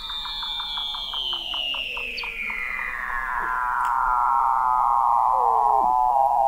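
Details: Weddell seal vocalizing under the sea ice of McMurdo Sound, Antarctica, in November 2017, 21 m down at the McMurdo Oceanographic Observatory: a long, loud, slowly falling trill over a quick series of pulsed clicks, with other seals' downsweeping whistles beneath.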